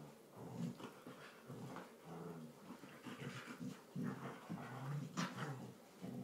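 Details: Indoor play fight between two Border Collies, one tri colour and one blue merle, in a lounge: rough, grumbling growls with brief whiny notes and snaps, uneven and overlapping, amid thumps of scuffling.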